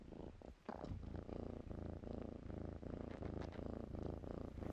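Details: Kittens in blankets purr close up: a rapid, rhythmic low buzzing rumble pulsing almost three times a second after a brief rustle at the start.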